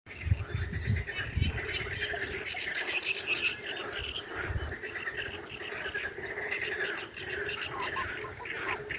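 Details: Toads at a breeding gathering, the 'toad wedding', croak together in a dense, continuous chorus. Low throbbing pulses run beneath a steady mid-pitched trilling band, with chirping birds calling above throughout.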